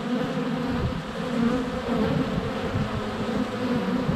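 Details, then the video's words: Honey bees in flight at a hive entrance on a sunny February day, filmed up close with a GoPro Hero 7 Black; dense, continuous droning hum with shifting wingbeat tones, steady and unbroken throughout. "4K Honey Bees - ambient video and audio"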